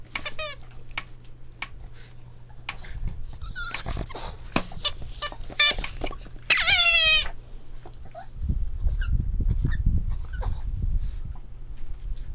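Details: Boston Terrier puppies playing, with quick high yips and whimpers, a long wavering squeal around the middle, then low rumbling scuffles and handling noise toward the end over a steady hum.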